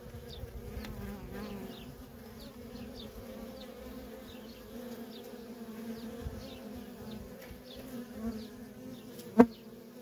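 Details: Steady low buzzing of worker honey bees streaming in and out of a feral colony, with soft high bird chirps throughout and a sharp loud click near the end.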